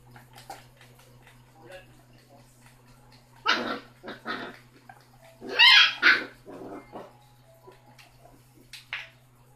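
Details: A six-week-old basset hound puppy named Rocky, the loudest of his litter, lets out scattered harsh barks and yaps after a quiet opening, several close together midway, one more near the end, over a low steady hum.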